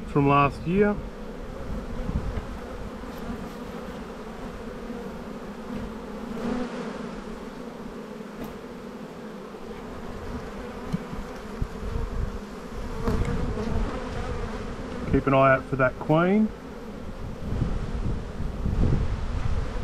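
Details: Honey bee colony buzzing during a spring buildup inspection in a bee yard, 7-9-22; a steady low drone of many bees, with brief human speech at the start and near the end.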